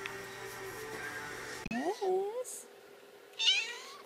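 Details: Three-week-old kitten seeking attention: a short rising-falling meow after a brief rustle, then a second, higher squeaky meow a moment later, over low room noise.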